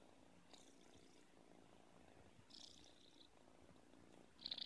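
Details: Young Russian Blue cat purring, a steady low rough rumble running throughout with faint pulsing, broken by brief soft hissy rustles and a short sharp click near the end.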